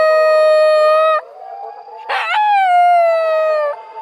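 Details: Howling black Shiba Inu, met by a police car while out walking and responding to its siren. One long, steady howl, a short rough yelp, then a second howl sliding gently downward, with the siren droning underneath.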